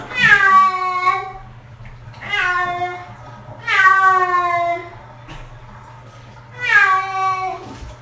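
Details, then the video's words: Six-year-old cat protesting its first bath: four long, harmonic, wailing meows, each about a second long and falling slightly in pitch, spaced roughly two seconds apart, with a low hum beneath. "Cat Bath Audio Only"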